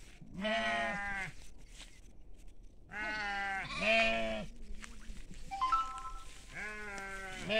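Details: Sheep and lambs on farmland bleating: several wavering, nasal bleats about a second long, some overlapping, with quieter gaps between calls.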